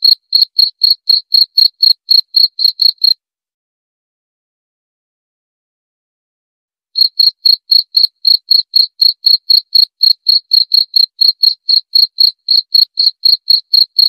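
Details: Cricket calling in rapid, even chirps, roughly four per second, each a short clear tone with a faint high overtone; chirping stops for nearly four seconds, then restarts at the same pace. Quiet background otherwise.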